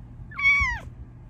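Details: A female Bengal cat, pleased with a new cat cave, gives a single clear meow that rises slightly, then slides down at the end.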